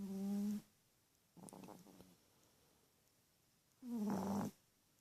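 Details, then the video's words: Sleeping teacup Chihuahua snoring loudly indoors; low, buzzy, droning snores about half a second long, repeating every few seconds, with softer rattling breaths in between. "Tinkerbell Snoring!"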